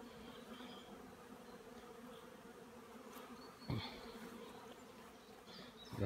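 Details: Honey bees flying at hives on an apiary stand on 15 April 2016, out in sunny weather after more than a week of rain; a steady low droning hum with a few brief clicks and faint distant bird chirps.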